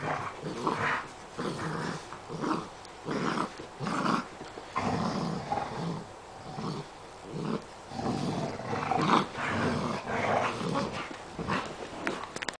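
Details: Seven-week-old golden retriever puppy playing tug, growling in repeated rough bursts roughly every second, broken by short pauses and scuffling sounds of play.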